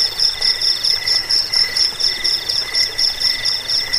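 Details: Cricket chirping, offered as a sound for repelling rats, lulling to sleep and training songbirds: bright, high pulsed trills repeated steadily in short bursts about twice a second, with a fainter lower tone beneath, no other sounds.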